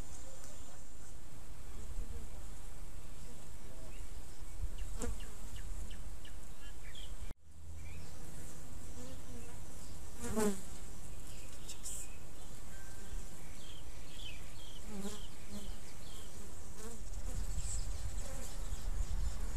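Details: A steady, low droning hum of many African honey bees (Apis mellifera scutellata) with a few scattered clicks, from a small garden hive in an old apricot tree, kept a few months.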